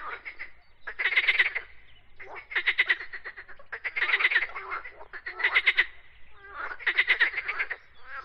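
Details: Frogs croak in five evenly spaced bursts, one about every one and a half seconds, each a quick rattling string of pulses lasting roughly half a second, with faint calling in the gaps.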